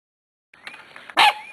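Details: Eight-week-old Corgi puppy from the Zoe and Strut litter, recorded March 13, 2011, giving one short, sharp high yap near the end after a faint whining lead-in.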